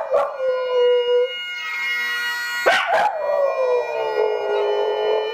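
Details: Pet Tibetan Terrier Reiska joining in with bagpipe music, one sustained falling howl, a brief gap, then a sharp yelping burst leading into a long, gradually descending wail, bagpipe drone continuous underneath.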